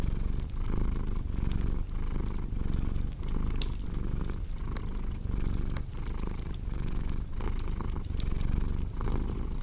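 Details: A steady, throaty purr from a pet cat, its rumble rising and falling in regular breath cycles while a fireplace crackles and pops in the background.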